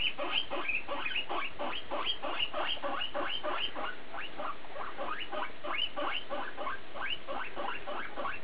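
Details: Pet guinea pig, chiefly BooBoo, keeping up a dense chatter of short rising squeals, roughly three every second, evenly spaced for the whole stretch, against a low constant background hum.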